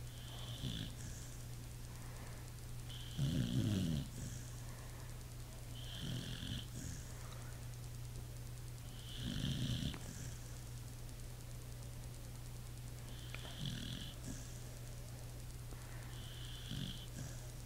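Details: Sleeping pit bull snoring steadily, deep rattling snorts roughly every three seconds, some louder and longer than others, with soft wheezy breaths between and a constant low mains-like hum underneath.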